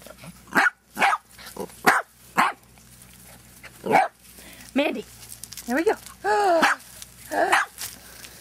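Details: Barking Dachshunds at a Marble Falls, Texas breeder: a run of sharp, high yaps spaced about half a second apart, then drawn-out wavering yelps and whines, with human voices mixed in.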